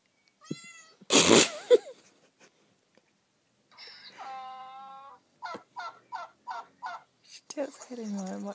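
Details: Roxy, a pet Shih Tzu indoors, reacting against a new phone app: a loud harsh bark burst, then several rising, drawn-out tonal meow-like cries and a quick run of short repeated yelps, with a person's voice briefly heard.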